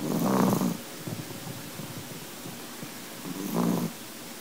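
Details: Chihuahua sleeping after a hard day and a full belly, snoring; low, rough, rumbling snores in slow breaths, one at the start and another about three seconds later, with soft wheezy breathing between.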